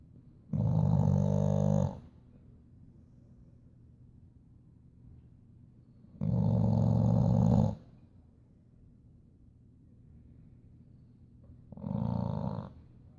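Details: Boxer dog in a deep afternoon sleep, snoring indoors: three long, loud, rumbling snores of about one and a half seconds each, spaced roughly five seconds apart, with quiet breathing between them.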